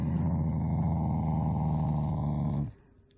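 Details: A Shiba Inu growls in protest at being forced to do tricks: a steady, low, rumbling growl rich in buzzy harmonics, held unbroken for about two and a half seconds before cutting off abruptly indoors.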